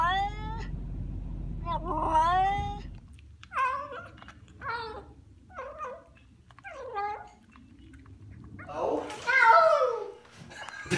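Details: A cat gives a rapid series of short, bent meows, some rising and some falling, ending in a louder, strained wailing meow, with low rumbling noise early on.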